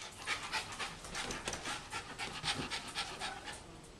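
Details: Rhythmic panting by a young spayed female terrier mix, about four breathy huffs per second, slightly irregular, with soft room noise behind.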